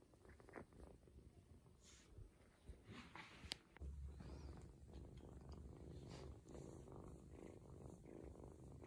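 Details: Adopted ginger kitten, a young male, purring contentedly while getting a belly massage indoors to help him go to the toilet; low steady rumbling purr with some soft rustling and handling noises.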